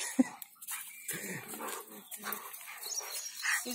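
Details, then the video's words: Rottweiler named Bolt, angry and playful at the same time, giving short rough bark bursts scattered over a few seconds, with sharp noisy accents and some human voice mixed in. "Rottweiler : Angry and Play at the same time"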